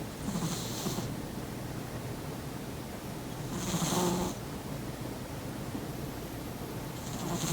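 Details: Persian cat asleep beside its owner indoors, snoring loudly: three soft, breathy, hissing snores spaced about three and a half seconds apart over a low steady background hum.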